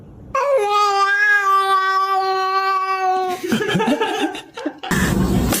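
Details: Frightened pet cat giving one long, steady, drawn-out wail of about three seconds that holds a level pitch, then breaks off into indoor rustling and noise.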